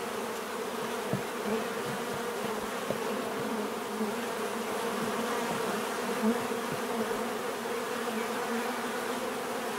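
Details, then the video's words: Steady humming of many bees, a low droning buzz with occasional soft taps or bumps close by, loudness otherwise even throughout. "bees therapy relaxing natural buzzing sound"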